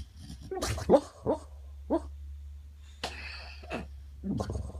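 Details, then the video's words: Tyson, a 10-year-old rescued boxer dog, lies on a couch dreaming and lets out muffled, huffing woofs in short irregular bursts, somewhere between barking and laughing, with quiet breathing and a low indoor hum between them. "Tyson Dreaming"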